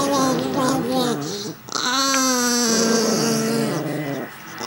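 Chihuahuas give drawn-out, wavering whines that slide up and down like eerie, half-spoken howls.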